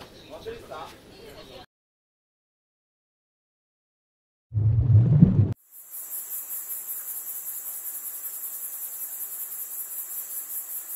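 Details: Cricket chirping in a steady, very high, rapidly pulsed trill lasting about five seconds, following a short stretch of speech, a silent gap and a brief loud low rumble.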